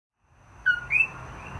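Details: A common coqui frog on Maui, recorded 17 May 2024 in front of a room, gives its two-note call: a short lower 'co' followed by a higher, rising 'qui'.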